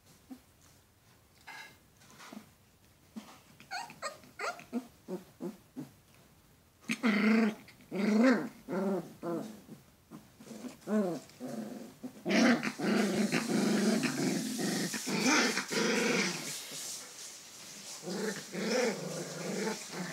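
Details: Alaskan Malamute pups, several young dogs, giving rough growling and grumbling vocalizations in bursts, quieter rhythmic sounds at first, then louder overlapping growls with harsher noisy texture in the second half.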